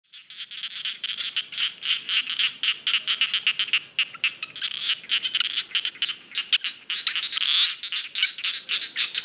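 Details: Frogs calling in a rice field: a dense, fast run of short, high clicking pulses that overlap and repeat almost four times a second, with louder and softer callers mixed together.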